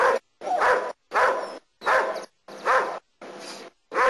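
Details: German Shepherd named Nero doing protection work in Costa Rica, giving a series of seven loud, harsh barks in quick succession, each about half a second long and separated by short silences.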